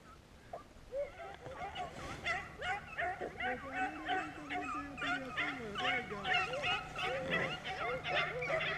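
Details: A pack of beagles chasing rabbits on a hunt in Vera, Virginia, bays steadily in overlapping yelping and bawling notes, several dogs at once, about two to three per second. Men talk quietly over the chorus.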